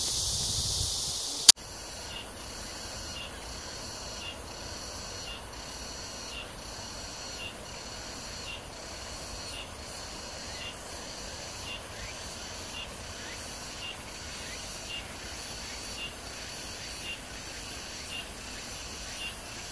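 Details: Cicadas at Amsa Ecological Park beside the Han River, Seoul, South Korea, early evening in July 2021 heat: after a brief loud burst and click, softer pulsed high buzzing repeats in rhythmic bands over quiet background.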